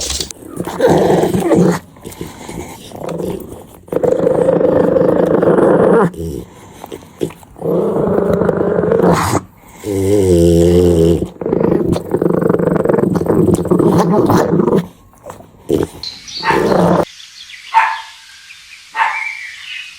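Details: Puppy playing on green grass in a field, producing long rough growls in sustained bursts with brief pauses, ending in quieter squeaky sounds.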